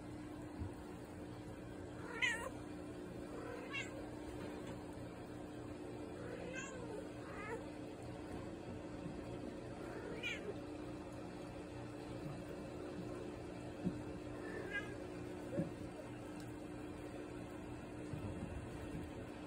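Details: Mother cat indoors lecturing her kittens about staying clean after they played with pond goldfish brought inside to overwinter; about five short, wavering, trilled meows spaced a few seconds apart over a steady low hum, then quiet toward the end.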